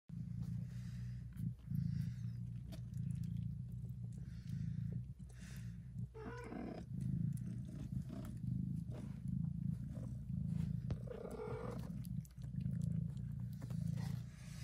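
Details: Mother cat purring very loudly while licking and nursing her tiny newborn kittens; a steady deep rumbling drone runs throughout, with brief faint high squeaks from the kittens around the middle and near the end.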